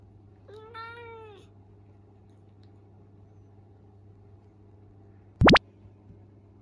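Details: Young male Minuet kitten, indoors, mumbling excuses after being scolded for mischief: one drawn-out, slightly wavering mew lasting about a second, then quiet room hum and a sharp upward-sweeping sound effect near the end.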